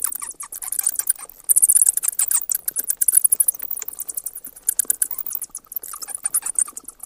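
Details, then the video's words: High, thin squeaking and clicking from a bat, fired in rapid irregular bursts, loudest around the middle, with short pauses between clusters of sharp chitters. "เสียงค้างคาว Bat sounds"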